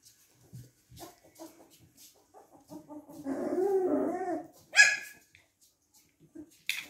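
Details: Golden Retriever puppies, three weeks old, playing; a drawn-out wavering whine and grumble rises midway, followed by a sharp high yelp and a few faint squeaks.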